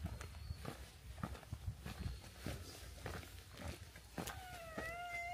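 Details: Stray cats that followed from a hilltop settlement down to a harbour, close to a fight with the port's cat group; footsteps patter throughout, then a single clear, tonal meow with a slight downward bend closes the moment.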